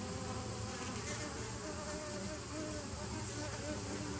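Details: Steady droning buzz of many bees, 27 September 2018: a continuous low hum with faint wavering tones in the middle range and no pauses or other sounds standing out.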